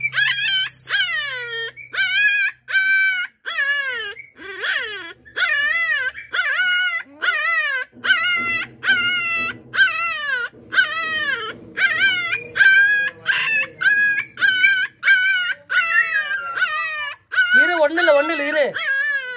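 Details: A puppy kept at home whines in a long run of high, clear, wavering cries, each rising then falling, about one every second for nearly twenty seconds. A low hum runs underneath in places, and one lower, drawn-out cry comes near the end.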